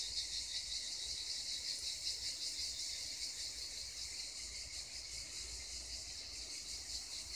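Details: Cicadas singing near the Black Sea coast: a dense, continuous high-pitched buzzing drone with a faint rapid pulsing throughout, steady in loudness, with low rumble of background noise beneath.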